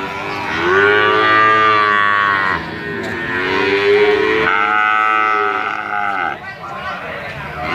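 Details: Calves of Brahman and Limousin cattle at market, long wavering moos, one after another with short breaks, several animals calling over one another.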